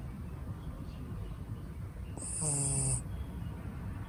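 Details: A sleeping six-month-old red female Shiba Inu, born in Niigata, Japan, gives a single snore: a buzzy, low, rattling breath with a thin hiss on top, surrounded by quiet room murmur.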